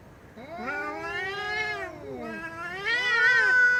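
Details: Domestic cat giving two long drawn-out meows, each sliding up then down with rich harmonics, the second rising higher and ending in a thin held tone; quiet background.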